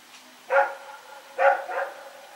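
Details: A night recording from September 21, 2018 of Rex, a dog running around and barking: three sharp, harmonic barks, one alone, then a quick pair close together, over a faint steady hiss.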